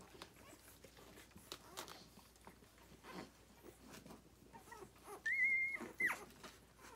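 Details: Nursing Rhodesian Ridgeback puppies, six days old, litter born 9/3/2020, feeding on their mother: quiet shuffling and suckling sounds, then a sharp, steady high squeal lasting about half a second, followed by a brief second yelp.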